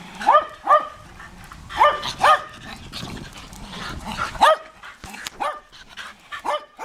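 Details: Sheltie reacting on discovering the neighbours' dog, giving sharp barks in pairs with short gaps between them, plus softer, fainter barks toward the end.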